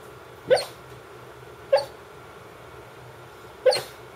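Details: A female Brittany that barks only in her sleep gives three soft, muffled woofs while sleeping, spaced irregularly over a few seconds.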